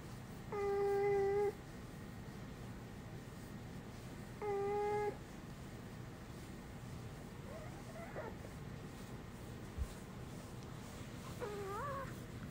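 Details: Pet dog Uni, who voices human-like sounds rather than a woof, makes two clear, flat, hummed tones early on, then two softer, wobbling, moan-like notes later. Quiet indoor setting.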